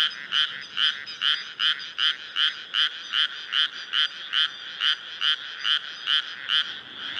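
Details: Close frog in a strong chorus over flooded rice fields, Nara Prefecture, Japan, 25 May 2024, early summer night with the moon up; sharp, regular croaks roughly two per second, about sixteen in a row, above a softer chorus.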